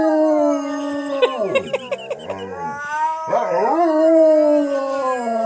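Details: A pet dog howling together with its owner: long sustained howls holding a steady pitch, broken by a quick series of sliding yips in the middle, then a rising and falling howl.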